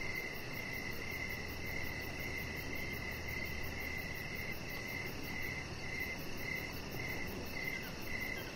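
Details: Evening cricket chorus by a deck with a resting chihuahua puppy named Rocket; evenly spaced chirps pulse steadily throughout, with a faint low hum and steady noise underneath.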